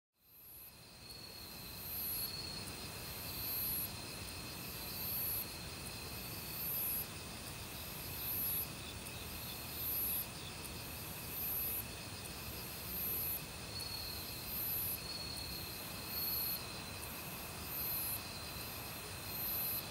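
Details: Autumn crickets in a forest, calling loudly alongside various other insects: steady high trills run throughout, while a sharper, very high buzzy burst repeats roughly every one and a half seconds over the constant rush of a valley stream.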